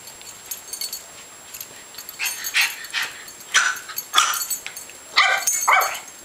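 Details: Tobi, a young Yorkshire Terrier pup born around December 2010 and recorded in May 2011, gives about seven short, sharp, high yips in irregular bursts, some in quick pairs, over six seconds against a faint steady background hiss.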